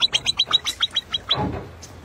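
A marmot gives a rapid run of shrill, high-pitched chirps, about eight per second.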